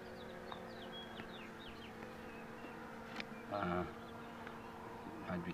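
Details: Honey bee drone during removal of the queen box, a steady low hum holding throughout, with brief voices and a few light taps over it.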